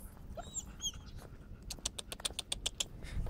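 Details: Leash-shy, timid dog on a walk, protesting pressure on the leash: a few brief high squealing whines at the start, then a run of sharp, evenly spaced clicks like footsteps or claws, with low background rumble.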